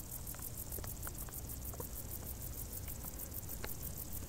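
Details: Summer crickets in tall grass keep up a steady, rapid high-pitched pulsing, with light patter-like clicks and a dull low rumble underneath.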